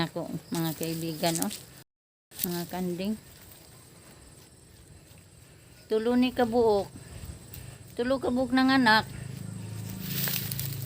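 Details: Several trembling bleats from goats at evening feeding time. Calls come in clusters at the start, around the middle and toward the end, each wobbling in pitch, with soft rustling and outdoor ambience between them.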